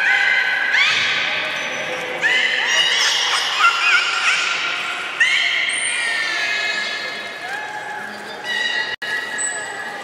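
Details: Young belugas of the juvenile group at Port of Nagoya Public Aquarium on 5 November 2017, during play time while moving between pools. Overlapping harmonic whistles and squeals glide up and down, rising in pitch, dense through the middle then sparser.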